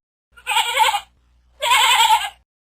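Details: Sheep bleating twice, two bright, wavering baa calls each under a second long, rich in high overtones, with a brief quiet gap between them.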